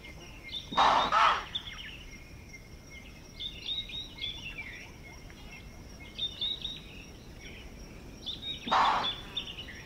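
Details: Impala alarm calling against a predator at Manyeleti Game Reserve, South Africa. A longer explosive chuff opens the clip and a second, shorter one follows about eight seconds later. Chirping birds fill the background.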